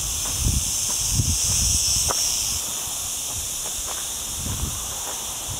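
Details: Continuous high, hissing drone of cicadas in olive groves near a town in Sierra Llana, hot week turned cloudy, captured on a Sony A6400 while walking; soft footsteps and crunching underfoot in the low range.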